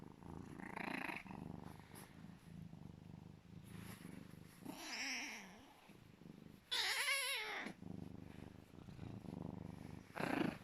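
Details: A happy serval cuddling purrs with a loud, low, steady rumble, broken by louder chirping and whining bursts.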